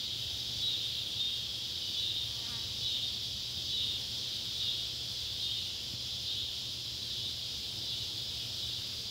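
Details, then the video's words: At sunset in Ballard County, Kentucky, July 31, 2013, two cicada species, Neotibicen pruinosus and Neotibicen tibicen, fill the air around an old tobacco barn with an unbroken, shrill buzzing chorus that rises and falls slightly every second or so. "Kentucky barn with sunset light and cicada sounds"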